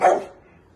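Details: Dachshund, a playful wiener dog, gives a single sharp bark with a strong, sudden onset that fades away within about a third of a second, leaving near silence afterward.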